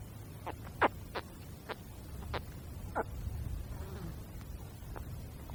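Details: Young crocodile caiman in the wild giving short, sharp chirping calls, single notes spaced irregularly about every half second to a second, over a low rumbling background.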